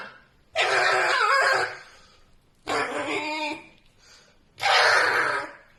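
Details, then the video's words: Pet red fox screaming strange sounds while asleep indoors: three loud, harsh, raspy screams, each about one second long, spaced roughly two seconds apart, with quiet room hiss in between. "a red fox screams strange sounds while sleeping"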